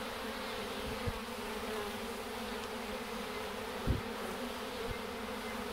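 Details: Bees of a swarm, once fallen to the ground after a shake, now crawling into a hive box drawn by the queen's pheromone; a continuous low hum holds throughout, broken by a few soft thumps.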